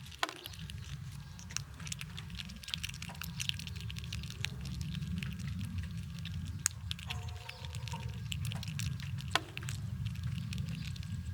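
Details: Squirrels eating nuts outdoors in cold winter weather: dense irregular crunching and cracking clicks over a constant low rumble, with a brief faint tonal sound near the middle.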